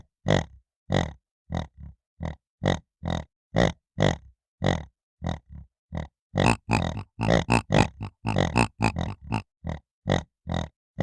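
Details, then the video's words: Piglet giving short rough grunts, spaced at first, then crowding into a rapid run of overlapping, slightly longer snorting grunts before slowing again; no other sounds. "PORQUINHO RONCANDO BARULHO DE PORCO LEITÃO"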